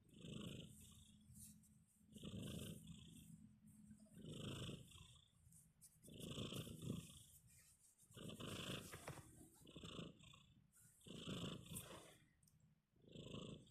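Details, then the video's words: Tiny snores from a kitten fast asleep, a steady series of soft raspy breaths roughly every two seconds, each a short rough puff with some low rumble, slightly louder and closer than a whisper. "Sleepy Kitty, tiny snores"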